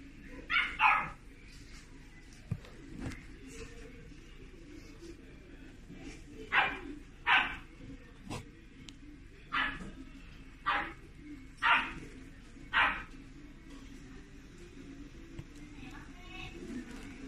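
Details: Chiweenie, a Chihuahua and Dachshund cross, at a pet shop in Japan, giving high, sharp yips one after another, roughly one each second at times, over a steady hiss of shop noise and hum.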